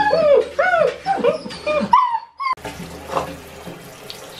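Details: Six-week-old Great Dane puppies protesting their first bath: arched, wavering whines repeated roughly twice a second, a brief gap, then running tap water and faint whimpering.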